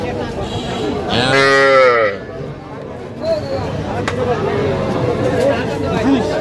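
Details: Cattle at a cattle market in Madaripur, Bangladesh, on 9 August 2025, where small young bulls and heifer calves are sold; one rising-then-falling harmonic moo of about a second, with men bargaining over prices in Bengali around it.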